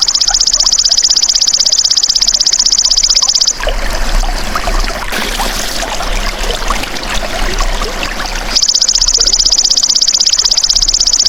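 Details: Golden grasshopper trilling in rapid, even, high pulses for about three and a half seconds, then a stretch of rustling, hissing outdoor noise, before the shrill pulsed trill resumes for the last three seconds.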